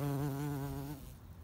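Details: In spring, with birds chirping, a bumblebee gives a low, steady droning buzz for about a second before it fades away.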